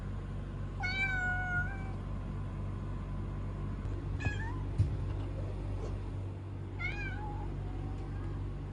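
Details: Kuro the kitten meows three times, spaced a few seconds apart. The first is a long, steady tone; the second is short and rising; the last dips slightly. A soft knock and a low background hum are also heard.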